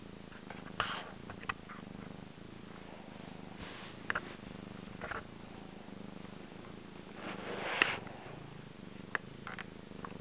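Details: Django, a black domestic cat, purring loudly while enjoying himself; a steady low rumbling purr runs throughout, with brief scattered clicks and rustles over it.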